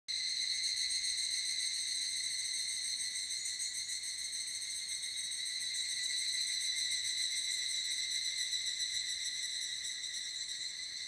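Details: Higurashi cicadas in a great chorus at Yabitsu Pass, Japan, at the end of the rainy season: dense, continuous high ringing tones with a fast shimmering pulse. The chorus is steady throughout, with no other sounds.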